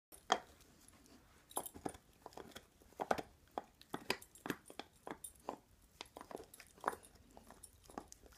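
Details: Pet dog chewing on an antler indoors, making pig-like noises: irregular short snorting grunts mixed with crunchy, wet gnawing bursts, roughly a dozen sharp bursts spaced unevenly, in a quiet small room.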